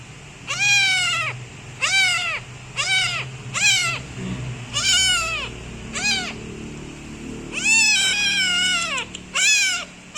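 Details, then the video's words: A new kitten meows loudly while kneading its owner, producing a series of shrill, downward-sliding meows about one per second, the later calls longer and overlapping, over quiet low rumbling. "New Cute Kitten Want Give Me Massage and Meowing So Loud"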